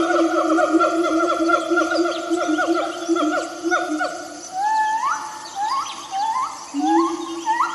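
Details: A siamang calls in a forest with long, rich tonal hoots that break into a run of rising whoops.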